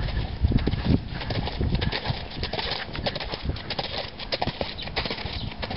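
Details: Rapid, uneven hoofbeats of a four-year-old stallion out of Sandro Song, crisp knocking strikes spread across the whole stretch over a low background rumble.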